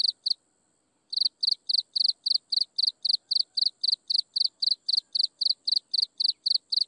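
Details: Insects chirp in the sunset: two shrill pulsed chirps, a short silence, then an even, unbroken train of bright chirps at close to four per second over a still background.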